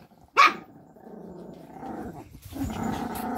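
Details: Pomeranian puppies and dogs at play on a bed; one sharp high yelp opens, then a long low continuous growl rumbles on, swelling into louder snarling play-growls toward the end.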